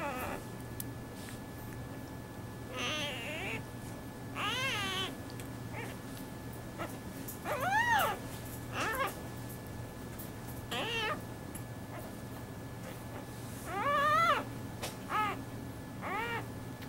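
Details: A newborn clouded leopard cub, an endangered species, born at Tampa's Lowry Park Zoo, gives high, kitten-like mews, rising then falling, at irregular intervals.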